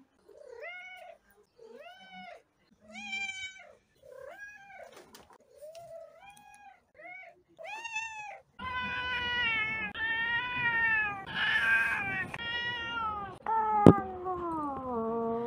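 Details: Domestic cats meowing in a compilation: a run of short, clipped meows roughly every second, then longer, drawn-out wavering meows that dip and rise, with a sharp click near the end.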